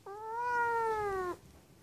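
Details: A seal point Siamese cat, called to go eat kibble and head to the kitchen, gives a long, clear meow that rises slightly and then slides down.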